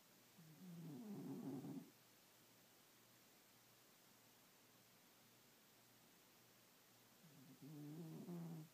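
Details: Cat asleep at night, snoring: two separate low, grating, harmonic breaths about six seconds apart, each lasting roughly one and a half seconds, with hushed room quiet between them.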